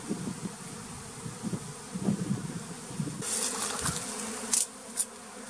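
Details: Bee at a bee farm in the flooded forest of West Tonle Sap Lake, Cambodia: a low, steady droning buzz that wavers in strength. Sharp clicking knocks follow in the second half, with voices talking nearby.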